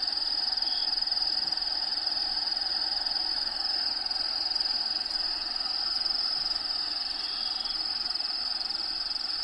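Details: Crickets inside a bearded dragon vivarium shared with a bearded dragon named Diego, natural habitat sounds playing in the background; a steady high-pitched trilling chirp pulses about twice per second without pause.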